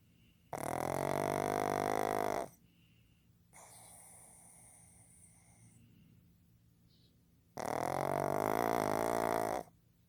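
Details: Fukuzou, a male pug born 15 July 2020, snores loudly while asleep: two long, rasping, harmonic-rich snores of about two seconds each, separated by a quieter, breathy inhale.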